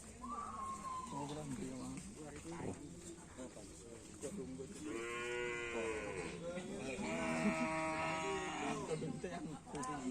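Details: Bulls of the Kalisari and Kalajengking karapan sapi teams training for a bull race at the Asemanis field. Two long, drawn-out lowing moos with rich harmonics come midway and near the end, over voices, background music and crowd noise.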